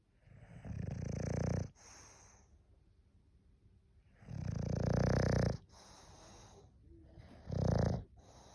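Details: English bulldog snoring: three low, throaty snores, the first two long and rumbling, the last shorter and sharper, separated by quiet gaps of a couple of seconds.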